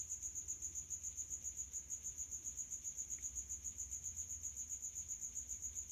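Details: Shrill stridulation of a male common house cricket (Acheta domestica) calling in high heat from a resonant hiding place; bright rhythmic chirps pulse steadily near four per second without a break.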